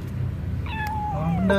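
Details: Stray cat wanting food, reacting to wet food: one drawn-out meow that holds steady, then slides downward and trails off, over a low steady hum.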